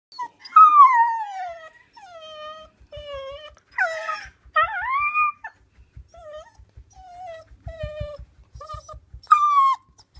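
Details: Female dog that rarely barks but talks in other ways, vocalising in a string of drawn-out moaning whines: falling, wavering and sometimes rising phrases of varied length with short pauses, and faint soft clicks underneath.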